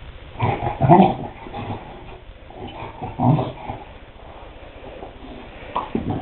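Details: Chow Chow named Mishka playing with a bone indoors: short low grunting growls in two main bursts near the start and middle, then a brief one at the end, with soft chewing and rustling noises between.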